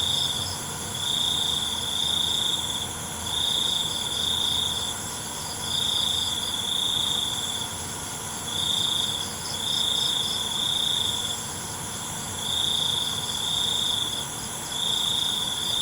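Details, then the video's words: Night-time cricket song in pulsing bursts. Shrill, high trills last about a second and a half each and come back roughly every two seconds, with short quieter gaps between them and a constant higher hiss underneath. "ALUNAN CENGKERIK MALAM"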